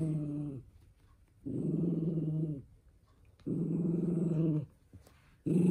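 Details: Male toy poodle, called the eldest son, losing his temper over having socks put on: three deep, buzzing growls about a second long with quiet gaps between, and a fourth just beginning at the end.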